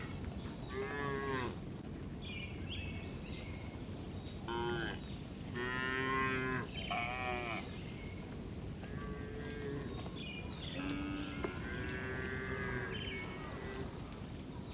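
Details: Tame cows herded in the afternoon, returning to the barn in a village; repeated mooing from several animals, some calls short and rising, others drawn out, with higher bleat-like calls between them and steady background noise.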